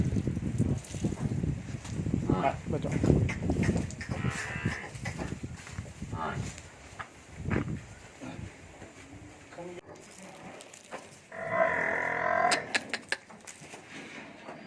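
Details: Jafarabadi buffalo recorded at Savarkundla gives deep, low drawn-out lowing over the first few seconds, with a shorter call later, while people talk nearby and handling noises and clatter sound in the background.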